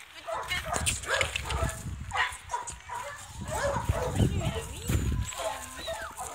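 A Belgian Malinois gives high, wavering whines and short yips while a man talks to it in French.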